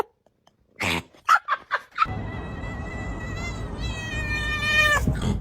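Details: Domestic cat giving a run of short, harsh yowling bursts, then a long, steady drawn-out wail lasting about three seconds, amid indoor room noise.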